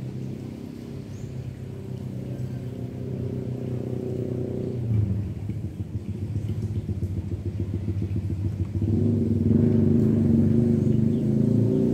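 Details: A steady low engine rumble from a vehicle idles and then revs, growing louder after about nine seconds, with no animal voice heard.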